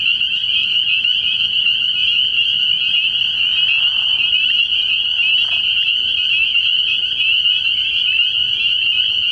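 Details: Nighttime chorus of spring peepers at a pond in early spring, many high-pitched peeps fused into a continuous shrill whine, and a short lower rasping sound partway through.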